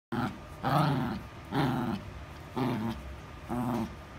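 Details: A toy poodle growls in a small indoor space, giving five rough, rumbling growls about one second apart, each swelling and then fading.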